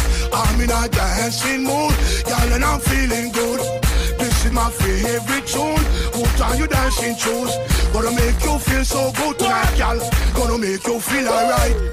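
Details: Loud rhythmic music with heavy bass beats and rapped or sung vocals throughout, with no animal sound.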